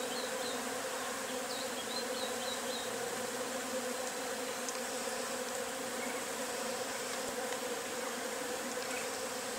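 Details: A swarm of Agelaia pallipes wasps pours out of its nest, giving a thick continuous buzzing drone that never pauses, while a few short high chirps sound faintly early on.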